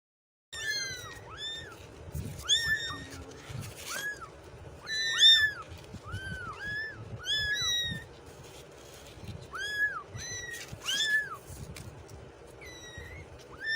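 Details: Kittens meowing nonstop: many high, thin, arched mews, some rising then falling, overlapping in quick succession, with faint low rumbling underneath throughout.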